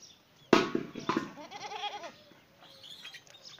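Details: Goat meeting a dog: after a loud knock, a quavering, wavering bleat of about half a second follows, then softer faint chirping sounds in the background.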